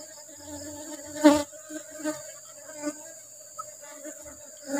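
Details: Asian honey bees buzzing as their hive is harvested for rubber-flower honey: a constant low hum with an upper overtone, one loud knock just past one second and softer taps after.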